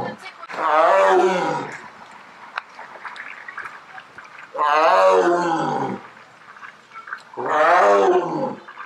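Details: Sumatran tiger in the big cat enclosure at Miller Park Zoo, Bloomington, Illinois, as visitors walk up. Three drawn-out, moaning roars, each over a second long, come about three seconds apart, with faint background noise between them.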